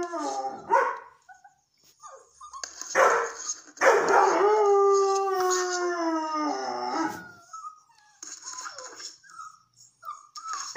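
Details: Young female red and white Setter howling toward a fresh litter of red-coated puppies at her breeder's. Short yelps and squeaks lead into a sustained howl lasting about three seconds that slowly slides lower, followed by faint high whimpers.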